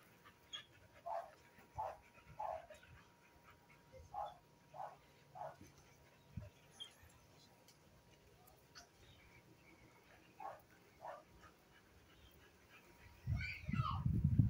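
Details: American Bully girls giving a run of short, soft barks, several spaced irregularly through the first half, then scattered quieter yips; a louder rumbling burst near the end.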